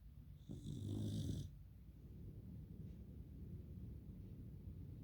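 A Pembroke Welsh Corgi snores with a low, rasping, rumbling breath, followed by softer steady breathing.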